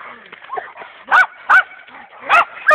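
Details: Dogo Canario in attack training, with champion dogs Hena and Dagmar: four loud, harsh barks spaced about half a second to a second apart, with a man's voice and quieter sounds between them.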